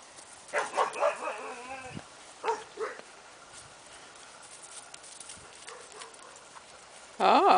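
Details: Tyrone, a pet bulldog, gives a run of tonal, wavering howl-like cries over the first two seconds, then two short yelping notes, followed by a quiet stretch and a sudden loud burst at the end.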